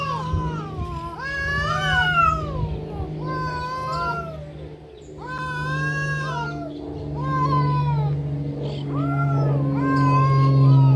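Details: Cats fighting: a series of wavering, arching caterwauls rising and falling in pitch, several yowls a second or two apart, with a loud continuous low hum underneath throughout.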